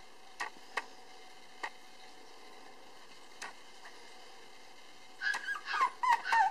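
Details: Male Cavapoo puppy born on 24 August, the darker-coloured one of its litter and still timid, indoors: scattered soft taps and clicks, then a quick run of high, wavering whimpers in the final second and a half.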